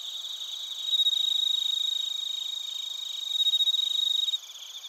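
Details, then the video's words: A mix of bell crickets and other crickets from Narita, Chiba Prefecture, Japan, recorded on a TASCAM Portacapture X8. A nearby caller delivers loud, rapidly pulsed ringing bursts over a constant high trilling chorus, then drops away abruptly near the end. "スズムシとコオロギの鳴き声 - Chirping of crickets"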